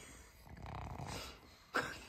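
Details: Kongzi, a six-year-old female pug, sound asleep after a tiring day: one soft, low, rasping snore breath swelling and fading over about a second, followed by a brief sharp noise.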